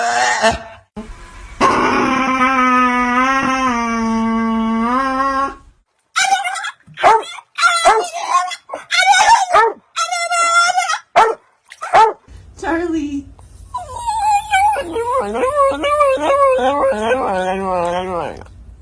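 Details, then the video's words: Dog making weird sounds: long sustained harmonic howl for several seconds, then broken yips, whines and yelps with wavering pitch, ending in a rising and falling whining howl. "Dogs making weird sounds"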